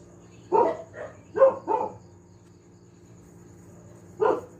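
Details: A pet dog at home barks noisily, four quick barks in a cluster, then a pause and one more loud bark, over a faint steady hum.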